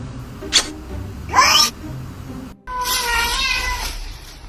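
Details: Two domestic cats squabbling: two brief sharp cries, then after a cut a long strained wavering yowl over background music.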